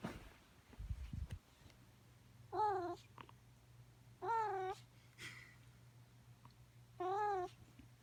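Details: Young fluffy male rescued cat, indoors during play therapy in March 2018, making cute noises while playing: three short wavering chirpy meows spaced about two seconds apart, with thumps, faint hum and soft rustling.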